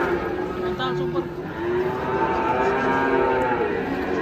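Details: Large cattle unloading from a truck to be weighed give a long, loud, steady moo with a stacked harmonic tone, slightly rising then holding level for about three seconds, over a background of crowd and yard noise.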